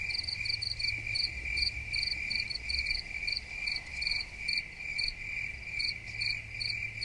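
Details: Crickets chirping in a dense chorus: a steady high-pitched trill runs unbroken beneath rapid bursts of short, sharper chirps repeated a few times per second, over a faint low rumble.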